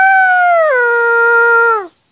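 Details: Dog howling: one sustained tonal note, starting higher and stepping down partway through, then held level with rich harmonics before cutting off sharply near the end; no other sounds.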